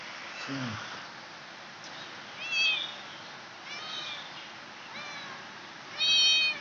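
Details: Domestic village cat giving birth indoors; a series of four short, high-pitched, arching mews with bright harmonics, spaced roughly a second apart in the second half, the last one loudest, over a steady background hiss.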